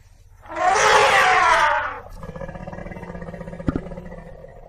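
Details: African elephant giving a single loud, harsh, broadband trumpet blast of about one and a half seconds, followed by a quieter low rumbling background with a brief knock near the end.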